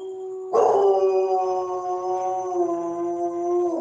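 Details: German Shepherd dog howling: one long sustained tonal howl with rich harmonics, starting abruptly and holding a steady, slightly falling pitch for over three seconds.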